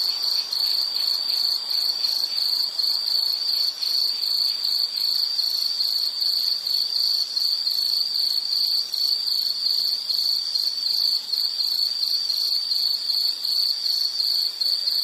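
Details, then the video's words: Nature recording of an insect giving a sustained shrill, pulsing trill that holds one high pitch throughout, its rapid beats never pausing, with faint upper harmonics and no other distinct sounds. "Nature Sound of nature sounds scenery L · insect"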